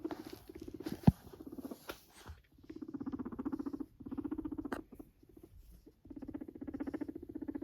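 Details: Max, a pet Sheltie guinea pig kept alone at home, purrs in low, buzzy pulsed bursts lasting about a second each, separated by short pauses, with a sharp click near the start.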